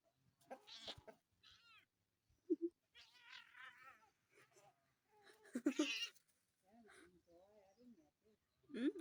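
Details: Protective house cat in a home with two cats, giving drawn-out wavering yowls and growly moans in separate bursts, while a woman calmly tells the cats to be nice.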